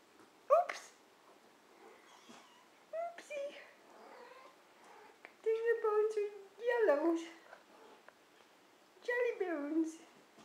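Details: Month-old kittens in their indoor nursery give short high mews and a few longer falling meows, scattered irregularly, while a woman talks softly to them.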